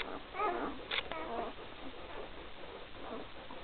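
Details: Three-day-old puppies from the 2012 Gracie x Newman litter, squeaking in short, thin, wavering squeals, a quick burst early on followed by a few quieter whimpers, with a low room hiss underneath.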